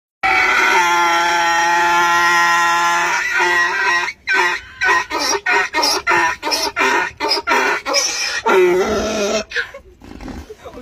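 A donkey brays: a long, harsh opening note breaks into a rapid, rhythmic run of wheezing hee-haws.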